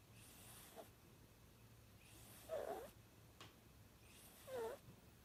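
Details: Chihuahua-Dachshund mix puppy asleep and snoring: three raspy, hissing breaths roughly every two seconds, the later two carrying a low nasal snort, with a faint steady hum in the background.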